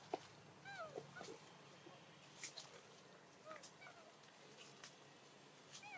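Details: Baby macaque Dito crying and begging for milk near Angkor, Siem Reap Province; short thin whistled cries rising then falling, repeated irregularly about once a second, with clicks and faint background hiss.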